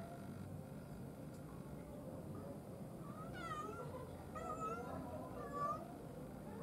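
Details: Cat giving several short meows, sliding down in pitch and spaced about a second apart, over a steady low background rumble.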